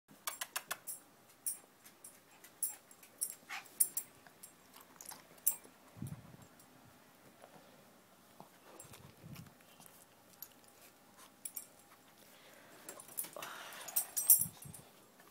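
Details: Shih Tzu aged one year and five months hiccuping indoors: three soft, low thumps spaced several seconds apart, among frequent clicks and rustling handling noise.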